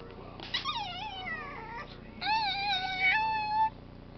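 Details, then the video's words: Bitsy the cat asks to come up with two drawn-out whining meows, the first wavering and falling, the second long and steady, both rich in harmonics above a faint room hum. "Bitsy wants to come up"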